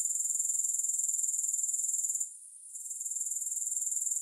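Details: Grasshopper stridulation used for relaxing, no music: a high, rasping trill of rapid regular pulses that briefly fades to near silence midway, then returns slightly softer.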